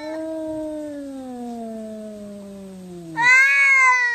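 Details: Fighting, angry cat holding one long low moaning growl-meow that falls gradually for three seconds, then jumping abruptly to a louder, higher wavering yowl.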